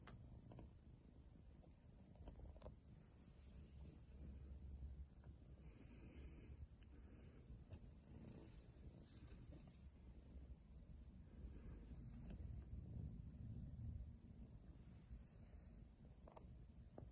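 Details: Persian cat. A Persian kitten gives a deep, continuous purr, a soft rumble that pulses rapidly and evenly. A few faint clicks and light rustles sound over the drone.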